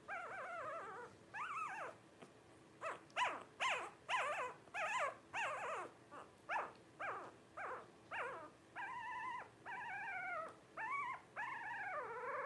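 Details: Twelve-day-old Blenheim Cavalier King Charles Spaniel puppies from a litter of five, giving a steady run of short, rising-falling squealing whines about every half second, some longer and flatter, in a quiet indoor room.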